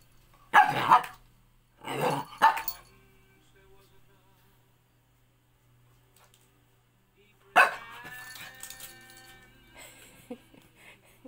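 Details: Sophia, a Shih Tzu mix dog, barks indoors while scared of a sandal: two sharp, rough barks close together near the start, then a long quiet gap before one more bark trailing into a drawn-out, wavering whine.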